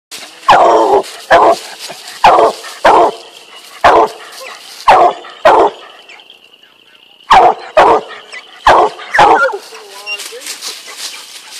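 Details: Two-year-old male Black and Tan Coonhound treeing a squirrel: loud, hoarse barks in pairs and bursts, about ten over eleven seconds with a pause in the middle, ending in a drawn-out whining bark.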